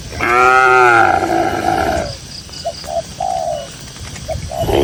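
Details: Tame cattle grazing in a cool green field in the countryside: one long, drawn-out moo lasting nearly two seconds, sliding slightly downward, followed by soft repeated dove coos and faint high chirping in the background.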